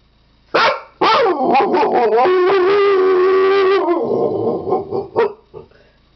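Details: Siberian Husky howling. Sharp yelping starts build into a sustained, even, wavering howl lasting about two seconds. It is followed by broken, descending moans and a few trailing yips as it fades into a quiet background.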